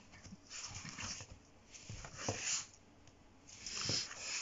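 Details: A Pomeranian gives short, raspy growling bursts indoors, defending its bed while someone treads on it, and is told to go to its place.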